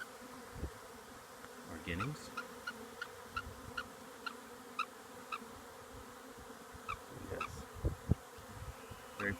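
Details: A honeybee swarm moving into an empty hive in March 2020 makes a steady, low, many-layered hum with short high chirps over it.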